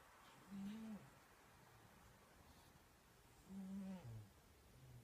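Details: Snoring cat indoors, two low rasping snore breaths about three seconds apart, each a short harmonic rumble near half a second long, with quiet pauses between.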